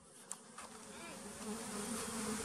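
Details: A single bee found at a bee farm in the flooded forest of West Tonle Sap Lake, Cambodia. It gives a faint, steady droning hum that grows slightly louder toward the end, with a soft click near the start.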